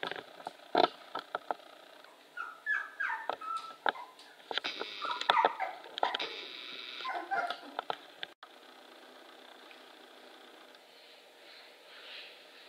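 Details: 24-day-old Manchester Terrier puppies from the Figowe Drzewko kennel on a walk outside their pen: short high whimpers and yips cluster in the middle seconds among sharp tapping clicks, then fade to quiet room hiss.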